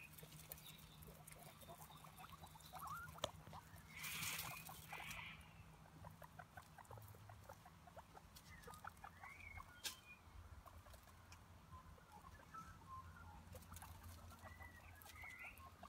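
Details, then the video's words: Pet guinea pig chattering with rapid short squeaks and occasional higher chirps, with a brief burst of broadband noise early on and a low hum throughout. "Vidio Hewan Marmuts lucu dan suaranya"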